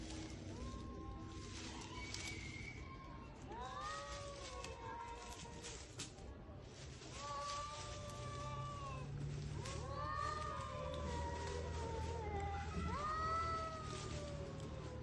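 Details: Fighting stray cats in spring give a series of arched, drawn-out yowls, each swelling up then dropping, repeated every second or two and growing louder toward the end, over low rumbling noise.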